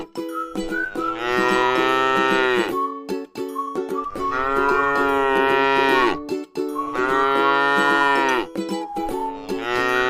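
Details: ['Grass-eating tame cow in a rice field lows three times, each moo lasting about two seconds, full and harmonic with a dropping finish, separated by short pauses over a steady background tone.']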